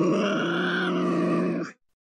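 A Tasmanian devil gives a steady, rasping growl lasting under two seconds.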